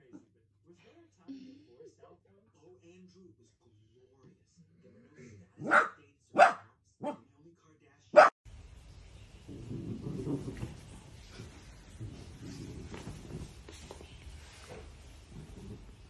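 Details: Dachshund (sausage dog) puppies at play: a quiet start with faint murmurs, then four sharp, short barks in quick succession, the last the loudest, followed by a steady rumbling, muffled background noise.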